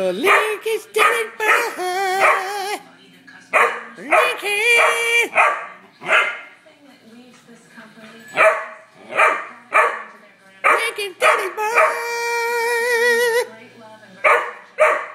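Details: An 11-week-old Saint Bernard puppy barks at its owner: high, yelping barks and drawn-out harmonic whines come in bursts, with a man's voice talking between them.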